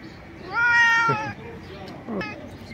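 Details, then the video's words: A stray cat jumping and screaming loudly with joy at food, giving one long harmonic wailing meow with a falling tail, then a shorter meow about a second later, while a man exclaims in surprise. "A stray cat jumps and screams loudly to express his joy at the food"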